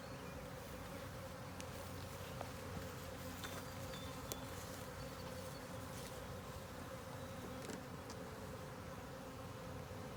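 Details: Steady low drone of a honey bee colony while a ten-frame deep with a honey super is opened for inspection; continuous buzzing with brief clicks and handling knocks scattered through.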